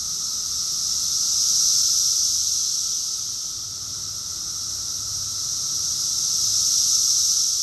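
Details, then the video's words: Summer cicadas in full chorus at Rockville, Maryland, USA, June 2021: a constant high whining buzz that swells, softens briefly past the middle, then climbs back to a loud finish, nothing else audible. "Cicadas song || Cicada's chorus song"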